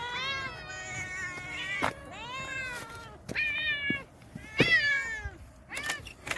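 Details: Stray cats living in a vegetable garden, fed a specially made nourishing meal, give several clear, harmonic meows, some rising then falling, in overlapping voices with short gaps, plus clicks and knocks from handling.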